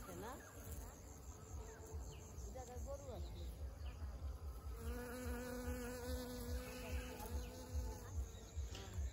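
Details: Nectar-gathering honey bees in a crowded field, filmed close; a low humming drone that steadies into a clear sustained buzzing tone from the middle onward, with a few sweeping buzzes at the start.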